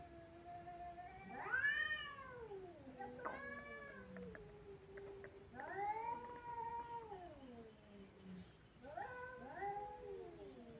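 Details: Kittens crying: four drawn-out, harmonic-rich meows, each rising briefly then sliding down in pitch, spaced about two to four seconds apart, with a quiet background.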